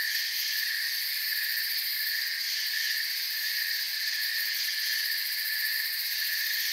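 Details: Soft cricket chirping fills a peaceful forest night: a constant, high, buzzy wash of overlapping insect trills without breaks, meant as calming sleep sound.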